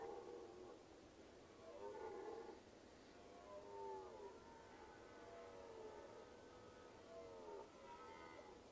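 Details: Red deer bellow: repeated wavering, moaning calls with bending pitch, each one to two seconds long and spaced a few seconds apart, heard faintly at a distance with constant low hiss behind.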